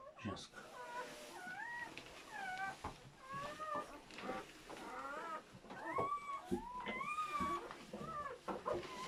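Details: Whimpering newborn German Shepherd puppies from a seven-pup delivery give thin, curving squeaks in irregular clusters, softer than the surrounding room noise, with occasional clicks and a faint human voice.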